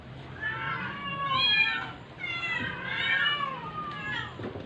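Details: Ailing stray cat being force-fed to survive, crying in long, strained meows that arch up and sag down, three main cries over under five seconds, fairly clear of other sounds.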